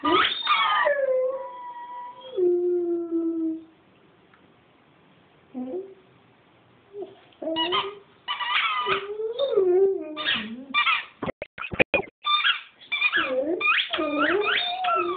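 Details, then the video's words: Chooch, a dog, singing at home with long drawn howls that drop in pitch, a quiet pause, then a run of rapid yipping, wavering cries with bending pitch and short gaps. "Chooch singing"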